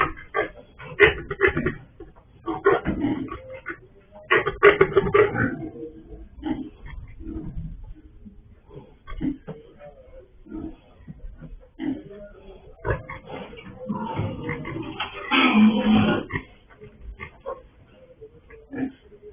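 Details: Sow that escaped again on a pig farm, captured by a surveillance camera; rapid irregular grunting, about three pulses a second, with a louder sustained rough stretch near the end amid knocking and rustling.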